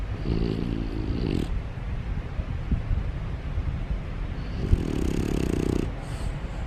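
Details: An overweight male French Bulldog snores loudly while awake, eyes wide open, a rough, rattling, low breath sound.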